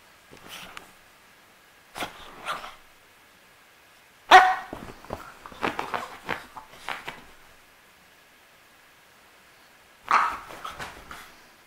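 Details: French Bulldog named Misha indoors giving scattered short, hoarse barks: one soft at the start, a pair near two seconds, a loud cluster of yaps around four to seven seconds, then a final bark after quiet.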